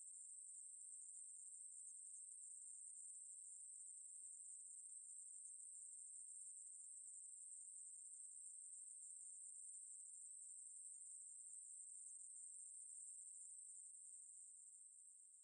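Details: Ruspolia katydid (maebu-ri), recorded by the National Institute of Biological Resources in 2020, sings an unbroken, very high-pitched buzzing trill, steady and even for the whole stretch and easing off slightly at the very end, with no other sounds.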